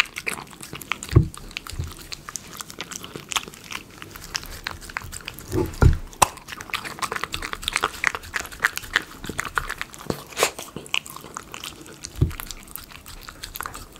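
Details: Miniature Schnauzer eating premium chicken pie dog food, recorded up close for ASMR: busy crunching and smacking with occasional deep thuds, some loud bites standing out among rapid softer clicks.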